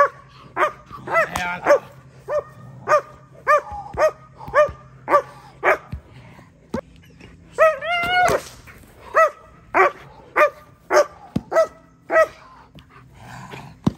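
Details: German Shepherd during protection training barking sharply and loudly, single harsh barks about every half second, a brief volley of rapid overlapping barks near the middle, with low engine-like rumble underneath.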